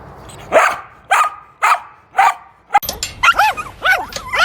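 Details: Domestic dog making odd sounds: four single loud barks spaced about half a second apart, followed by quick, arching, high whining yelps that rise and fall.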